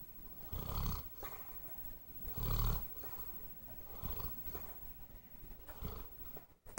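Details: Sleeping pet dog named Bear gives loud, throaty low snores, each a rough rumble lasting under a second, repeating about every one and a half to two seconds, with soft breaths in between.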